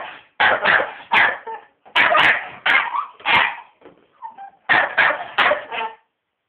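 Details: Staffordshire Bull Terrier attacking a household hoover, which it hates, giving rapid rough barks in quick groups of two to four, separated by brief pauses with soft yips.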